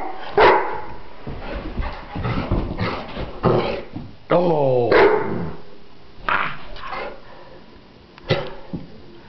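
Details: Playful one-year-old English Mastiff barks in rough bursts, breaking midway into a wavering, harmonic whining yowl, then further spaced barks with quieter background sounds.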